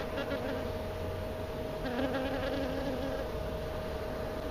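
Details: Honey bee flying close around the person recording, hovering near them; a low droning buzz swells in and out, loudest early and again mid-way, over a steady faint electrical tone.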